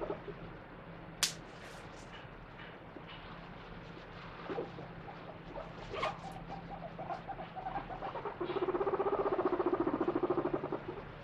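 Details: Happy pet guinea pig vocalizing while its owner gives it attention: quiet rustling and soft clicks, then a low, rapidly pulsed rumbling purr lasting about three seconds near the end.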